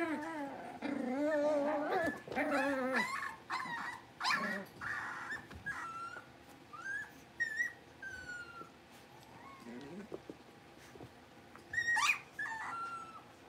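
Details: Five blenheim Cavalier King Charles Spaniel puppies, born on New Year's, moving to a big pen: a busy run of high, wavering whines and short yips, some bending upward, overlapping through the clip and thinning out toward the end.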